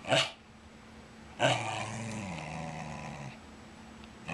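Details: Wire fox terrier, male, barking with a tennis ball in his mouth while demanding to play ball; two muffled, growly barks, a brief one and then a longer drawn-out one about a second later.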